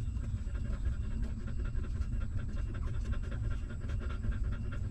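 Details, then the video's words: Newborn puppy nursing from its stray mother, rapid rhythmic smacking and sucking pulses in an even beat, with a heavy low background rumble underneath. "Watch This Hungry Puppy Suck Milk"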